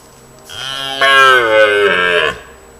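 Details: Red deer (Cervus elaphus) stag in a larch forest in autumn, late afternoon, during the mid-September to mid-October rut: a single deep, drawn-out rutting bellow that swells and then fades, intimidating rivals.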